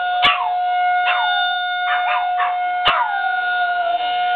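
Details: Two dogs answering a town's Monday 1:15 horn with a few short, falling howls. Gaps separate the howls, and a steady horn drone continues underneath. Two sharp clicks are also heard.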